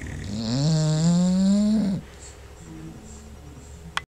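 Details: Bulldog Paisley snoring in her sleep, other dogs resting close by: one long drawn snore with a steady buzzy low tone rising slightly over two seconds, then quiet breathing and a faint click at the end.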